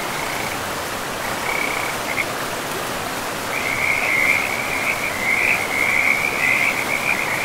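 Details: Frogs by a river in a pristine forest, trilling in dense rapid pulses around one steady mid-high pitch, in bursts early on and then a near-continuous chorus from mid-clip, over a constant rushing hiss of flowing water.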